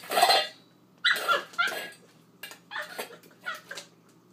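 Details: An 8-week-old husky/poodle mix puppy playing with her dish gives a run of high, squeaky yips with bent, wavering tones, about six short bursts over four seconds, set against a quiet room.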